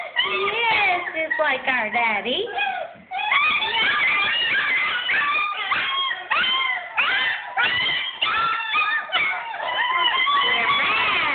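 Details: Bella and Blitz's German Shepherd pups, angry at confinement in the whelping bed, produce a dense chorus of shrill whines, squeals and yelps, one long downward-sliding cry early, then nonstop overlapping cries indoors.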